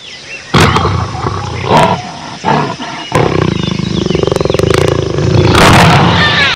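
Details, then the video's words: Jaguar giving rough, broadband roaring bursts that break into a fast, throaty grunting pulse of about four beats per second, rasping and loud throughout. "Jaguar sound"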